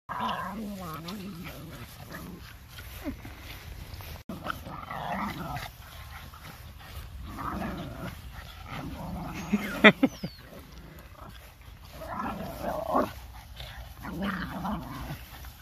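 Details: Four Boston Terriers, puppies and an older dog, playing together trade rough, rumbling growls and snorting grunts in bursts, with occasional human voices.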